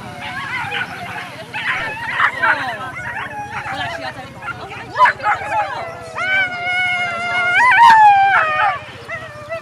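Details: Whippets at the FCI European Championship 2018 lure coursing event; excited dogs give high whining howls and yips, long wavering tones rising and falling near the end, over a constant low engine-like drone and crowd noise.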